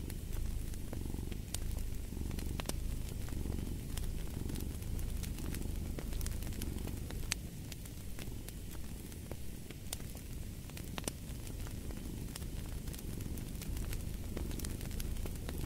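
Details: Domestic cat purring beside a crackling fireplace: a steady low rumble swelling and easing in slow breath cycles, overlaid by sharp scattered pops and snaps from the fire.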